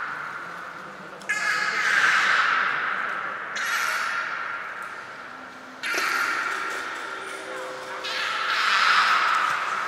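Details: Belugas Hodoi, Taanya and Mirai in an aquarium pool at Port of Nagoya Public Aquarium, 23 February 2021, during pool transfer and training; four loud bursts of harmonic, wavering squeals, each starting abruptly and fading over about two seconds.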